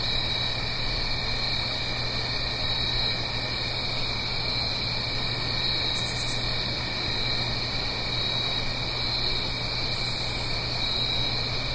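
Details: Crickets on an autumn night in the Blue Ridge Mountains, up the hill from a gentle stream: a steady, high shimmering chorus of many trilling insects with no breaks, over a constant broad hiss of running water and a low hum.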